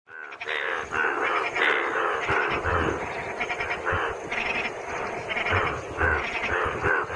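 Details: Indian bullfrogs at Mahadev Pahadi, India, inflating blue vocal sacs, croak in a dense, overlapping chorus of rough, nasal pulses.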